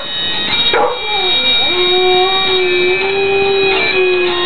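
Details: Husky singing to Flower of Scotland: a brief yelp, then a sustained mournful howl holding a fairly steady pitch with slight wobbles, blending with continuous droning pipe music.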